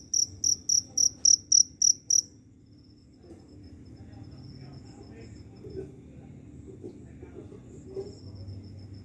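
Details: A cricket, wandering after rain has fallen in search of a mate, gives loud, high, evenly spaced chirps, then a faint steady trill.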